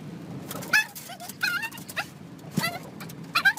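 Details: Pet dog from a funny dog compilation giving high, whining whimpers and yips: short tonal cries that bend up and down, about five in under four seconds, over a low steady room hum.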